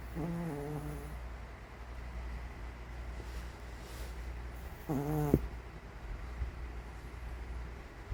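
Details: Sleeping Maltese dog snoring tremendously indoors: a long harmonic snore at the start and another rasping one near five seconds, over a steady low hum, with a soft rustle between.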